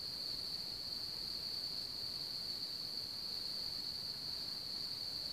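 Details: Crickets at Hamr near Chlum u Třeboně, Bohemia, where one of the region's largest populations lives, produce an unbroken high ringing trill with a slight shimmer, over gentle broadband hiss.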